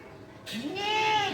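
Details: Black Bengal goat at a local goat farm in Bangladesh, among two pregnant females and young kids; one wavering harmonic bleat lasting about a second, rising then gently falling in pitch, over a quiet background.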